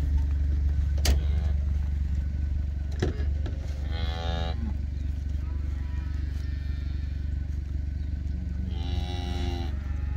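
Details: Black Hereford calf bawling while being weighed on a calf scale during processing; two harmonic moos around four and nine seconds over a steady low engine drone, with clanks of the scale.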